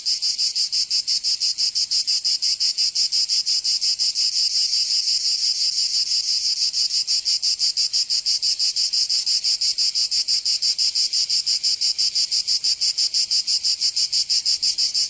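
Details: In southern France's Provence during summer, cicadas keep up a loud shrill rasping buzz, pulsing fast and very evenly for the full stretch, nothing else audible.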